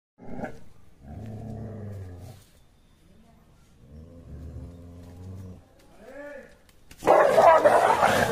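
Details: A Rottweiler and a Beagle fighting growl low and rumbling, then give a sharp yelping bark and a harsh burst of snarling noise.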